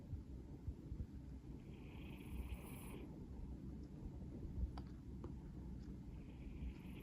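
A Maine Coon cat snores with a soft, low, steady rumble.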